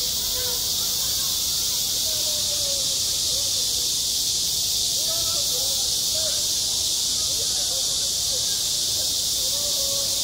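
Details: On a summer schoolyard, massed cicadas keep up a loud, seamless high buzz for the whole stretch, while faint short whistled or vocal sounds flicker beneath the drone.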